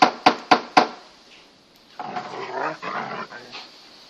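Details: Two Kangal Anatolian Shepherds at play in a garden: Tyson, a grey six-month-old pedigree male puppy, and Venus, a darker eighteen-month-old female crossed with collie. Four sharp knocks open the clip, then come short, rough, growly barks in bursts.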